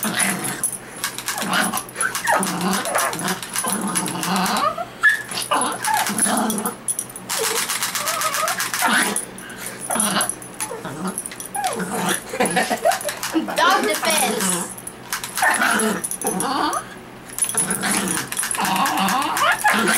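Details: Dog reacting to an unloaded BB gun, giving short harsh barks and growling bursts with whimpering tones in between, while a person talks over it throughout.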